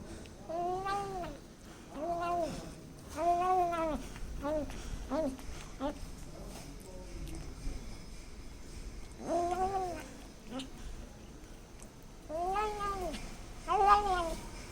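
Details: Kitten making sounds while eating: short, arched mewing calls in clusters through the first five seconds, again near nine to ten seconds and thirteen to fourteen seconds, over a low background hum.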